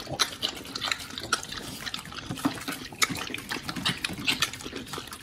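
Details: Pit bulls eating raw quails and giant sea bass skin on a raw diet: dense, wet crunching and crackling chews, sharp bone snaps every half second or so, close and steady.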